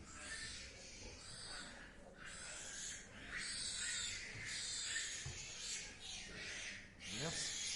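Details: Pigs in a pen with tiny newborn piglets, eyes not yet open, beside resting sows; harsh high-pitched squeals in repeated bursts of about a second, with a man speaking French nearby.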